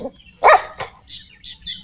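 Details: A dog, happy with the day's weather, gives one short sharp bark followed by a softer second yelp, with faint high chirping in the background.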